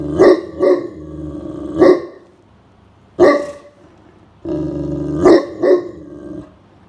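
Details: Blanche the Great Pyrenees keeps guard duty from an indoor nap on a hot summer day as someone suspicious approaches the grounds. A few deep, loud woofs, some doubled, are broken by a low, rumbling growl.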